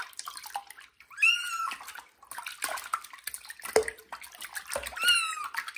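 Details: Kitten Johnny meowing loudly during its first bath in a bathroom: two high, harmonic, slightly wavering meows a few seconds apart over splashing and dripping water.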